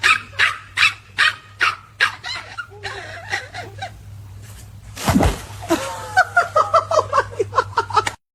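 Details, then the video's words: Small dog yapping in its owner's ear: a series of sharp barks, then a loud thump, then quicker, higher yips near the end over a steady low hum. "Why this little dog is making noise in my ear"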